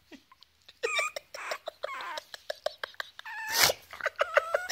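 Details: Three-week-old foster Chihuahua puppies playing beside huskies give rapid high squeaky yelps and whining squeals in quick bursts, with a short loud burst of noise in the middle.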